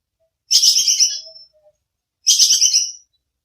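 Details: Bajing kekes squirrel, recorded as tutoring material for songbirds: two sharp, fast-pulsed chattering bursts about a second each, bright and high-pitched, trailing off slightly, with silence between.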